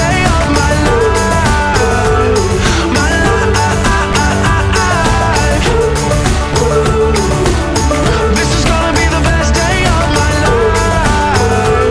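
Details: Loud music with rhythmic percussion and melodic singing fills the whole stretch, and no animal voice is heard.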